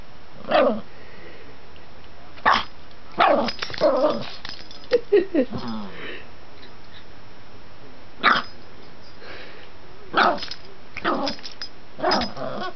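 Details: Pet dog, female, barking while excitedly chasing her own tail with excess energy: sharp short barks scattered irregularly, some in quick clusters, mixed with growly sounds, indoors.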